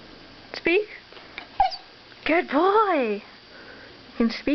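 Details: Puppy asked to speak answers with a drawn-out, wavering whine that rises and falls, plus a few short yips; an owner indoors praises it and gives commands before and after.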